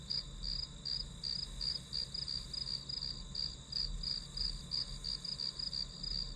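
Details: Study-session backdrop of grass insect calls, short bright chirps pulsing roughly three per second in an even rhythm, a thin constant whine overhead and a low rumble underneath.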